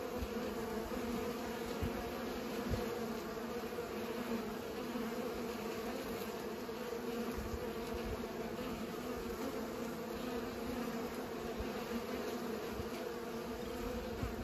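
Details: Steady buzzing of bees at work pollinating, an unbroken low drone lasting the whole stretch, with faint rises and dips in loudness but no pauses.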